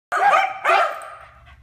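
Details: Corgis give two quick, sharp barks close together, then fall quiet, barking and stopping in sync on command.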